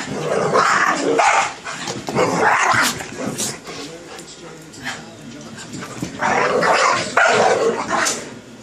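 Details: Rough play between a small Boston Terrier (25 lb) and a big lab/pit mix (110 lb): rapid, loud, overlapping barks and growls in two long flurries, with panting and a person speaking in the gaps.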